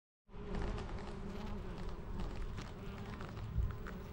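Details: Honey bees foraging on white lavender, collecting nectar and pollen; a steady, low droning hum holds for about four seconds over a heavy low rumble of handling and background noise.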